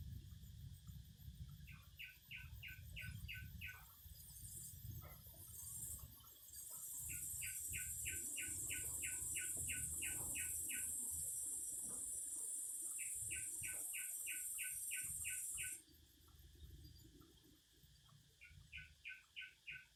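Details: Cicadas singing outdoors: a loud, steady high-pitched buzz holds for about nine seconds, then cuts off abruptly. Short bursts of quick chirps from birds repeat throughout, over a low rumble of background noise.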